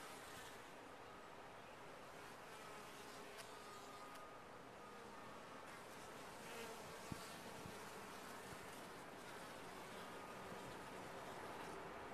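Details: A colony of bees in a top-bar hive gives a continuous massed buzzing, with sliding tones from individual flyers over the droning hum and a few brief clicks.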